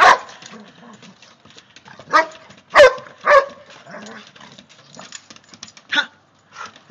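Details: Excited Giant Schnauzer barking as temperatures drop and snow approaches: about five short, sharp barks at irregular intervals of one to three seconds, with a person talking quietly between them.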